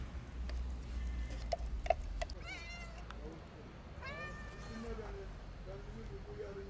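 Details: Hungry kitten wanting food, wary of the person feeding it, gives two rising, harmonic meows around two and a half and four seconds, followed by softer low tones, with tapping and faint voices nearby.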